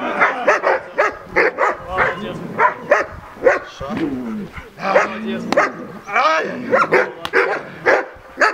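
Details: German Shepherd named Ray on his first run in protection service training with a Belarusian sports dog-training association. He gives rapid, harsh barks roughly twice a second in uneven bursts, with a man's voice shouting between them.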